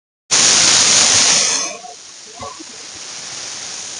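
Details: Russell's viper hissing as a warning when threatened: a loud, harsh, breathy hiss bursts in and holds for about a second, then drops to a much quieter, steady hiss that fades out.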